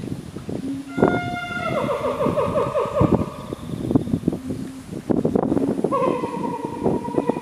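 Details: Chimpanzees of Ryu's family group, led by the male Ryu with the old male Charlie and twin girls: drawn-out tonal wails with stacked harmonics, one falling from about one to two seconds and another starting near six seconds, over clattering low background noise.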